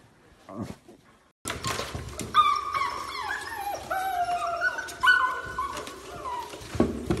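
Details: Beagle puppy whining indoors: long, thin, steady whimpers with slight pitch steps and bends, following a brief silence and faint knocking sounds at the start.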